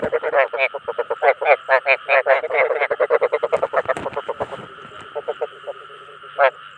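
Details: Croaking of the ếch đồng, the Chinese edible frog, used to attract fellow frogs. Loud, grating pulsed croaks come in quick succession and then thin out to a few scattered notes, with a continuous humming drone behind.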